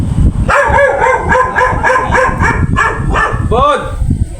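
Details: Female golden retriever mating with a male called Jago, voicing a run of rapid, wavering harmonic whimpers that end in two rising-then-falling whines, with people talking and low background noise throughout.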